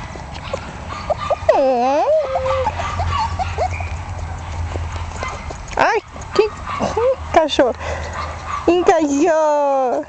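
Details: One-month-old Jack Russell Terrier puppies, born 27 October 2010, give high, arching whines that rise then fall, in a few scattered bursts and a final run of quick yelps, over steady people's speech and a low hum.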